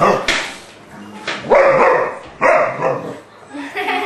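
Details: Playing dogs, an English Bulldog with a three-month-old English Mastiff pup named Forest; two short, tonal bark-like bursts about a second apart rise out of rustling, with human voices talking nearby.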